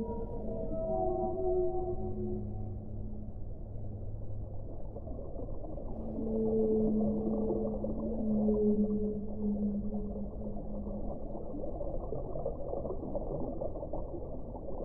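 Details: Whale song: low drawn-out moans with stacked harmonics, a few held notes early on, then a longer wavering moan in the middle, over a steady deep rumble of underwater noise.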